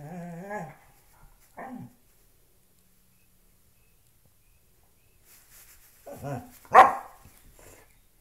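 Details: Loki, a pet dog, playing with a shoe: a drawn-out harmonic growl-whine at the start, a short second vocalisation near two seconds, then a burst of grumbling growls ending in a sharp bark.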